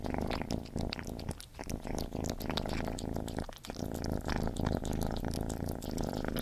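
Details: Cat Gordy feeding, steady deep purring throughout with quick, busy chewing and lapping clicks layered on top.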